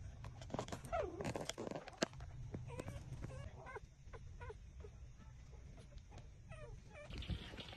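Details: Six-day-old puppies suckling at their mother's teats give short, upward-bending squeaky whimpers in an irregular series, mixed with soft rustling and a low background rumble.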